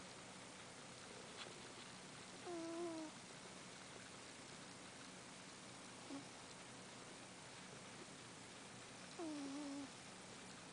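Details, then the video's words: Domestic cat asleep and snoring: brief squeaky whistles that slide downward, recurring roughly every three and a half seconds over a low steady hum indoors. "Snoring Cat"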